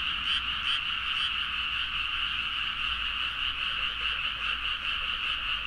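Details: Midnight rice-paddy frog chorus from Nagaoka in Niigata, Japan, captured on a Zoom H4n: dense layered croaks forming a constant high band, with a few sharper clicking calls standing out early on and soft low background rumble.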